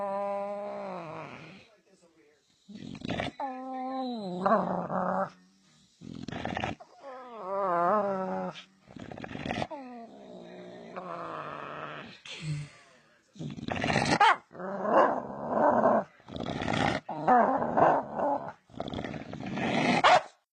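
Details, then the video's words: Dog making funny sounds: long, wobbling, howl-like tones that bend up and down in pitch, then rougher, growly bursts in quick succession, with human voices mixed in. "Dogs making funny sounds"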